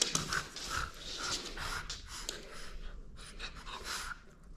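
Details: French Bulldog indoors in a small room, playing and refusing to give up its toy; quick breathy pants and snorts run through the clip, with light rustling of play.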